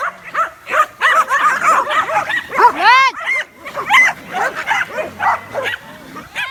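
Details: A group of dogs reacting to a drone in the sky. Rapid overlapping barks and higher yelping notes crowd together, with one louder rising-falling yelp standing out midway and faint human voices in the background.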